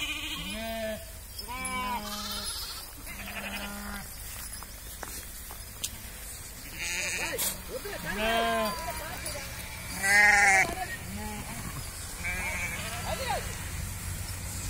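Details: Flock of farmed sheep in a village calling repeatedly: many wavering, quavering bleats from several animals, some deep and some higher, overlapping every second or two, with occasional human voices and a steady low hum.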